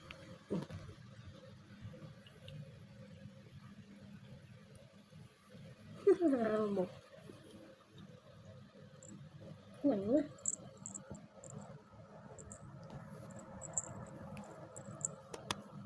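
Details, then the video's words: Newborn kittens in their first week of life give two short, thin mews several seconds apart, each wavering up and down, over a soft indoor hum with quiet speech nearby. "Tiny kittens their first week of life"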